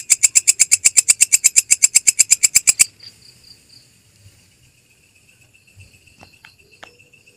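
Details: Belalang kecek grasshopper, a tutor recording for songbirds: about three seconds of fast, regular buzzy clicks, then the insect stops and only faint scattered ticks and soft background noise remain.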